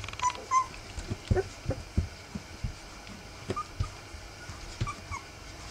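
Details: Rough Collie puppies, three weeks old, giving a few brief, thin, high whimpering squeaks spread across the recording, with soft low thumps and shuffling movement between them.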